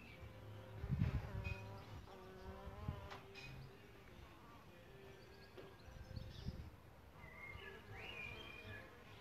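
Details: Solitary bees nesting in a bug hotel: a low, steady buzzing hum with layered overtones that swells and fades over several seconds as a bee moves near, while small birds chirp faintly and high in the background.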